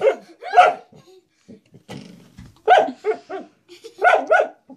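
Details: Male dog indoors barking at a blue door stop it treats as a threat; scattered single and paired barks about every second, with soft low grumbles between.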